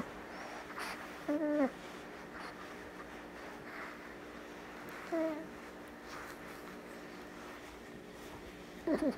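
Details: A female Boston Terrier puppy, a few months old, gives short, high whimpering squeaks that wobble up and down, a few seconds apart, while snuggling.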